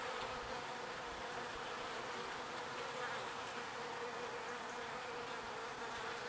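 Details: Pollen-foraging bees flying to and from their hive. Steady, sustained humming of many wings, unchanging in loudness over several seconds, with a firm low-middle tone and a broad airy buzz above it.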